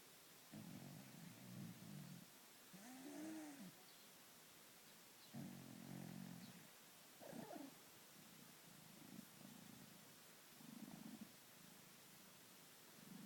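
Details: Domestic cat asleep, snoring and purring in its sleep: low rumbling purr bursts repeating about every one and a half to two seconds, with a couple of longer tonal snore-like breaths mixed in.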